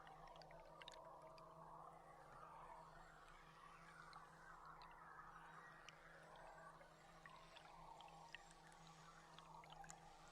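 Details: Underwater beluga chatter picked up by a live boat cam on July 16, quieter and more distant: scattered sharp clicks and soft wavering squeals over a constant low droning hum from the boat.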